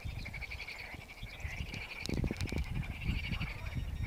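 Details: Chorus of frogs singing in a lake: pulsed, rattling trills overlapping almost continuously, with louder rustling and knocking noises in the middle and a low rumbling background.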